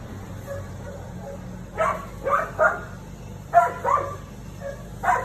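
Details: Siberian Husky, a female, barks at the neighbour's cat, bravely at first; quick clusters of two or three sharp barks separated by pauses, with a low background hum.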